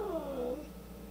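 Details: Angry house cat, part of a pair with a white cat, giving the tail end of a falling, moaning yowl that fades into room hiss.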